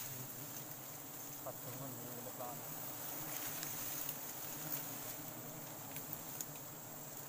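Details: Wild forest honey bees during a sustainable honey harvest: a low, steady droning hum with layered tones that wavers slightly in pitch throughout, with occasional human voices and sharp clicks in the background.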